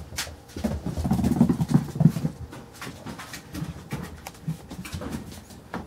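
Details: Playing Carolina Dog puppies aged five weeks four days give a run of low, rumbling growls early on, then softer grumbles amid scratching and tapping in a small indoor room.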